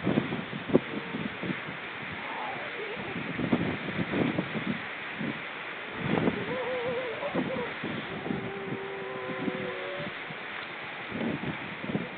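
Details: Seal talk from October 29 2014: rapid thumping pulses mixed with wavering, trilled tones and a long level moan near the end, set against constant rushing noise.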